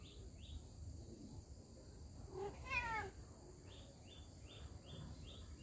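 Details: A cat gives a single short meow, rising and then falling, about half a second long, set against a steady background hiss and a series of repeated high, even chirps from another creature.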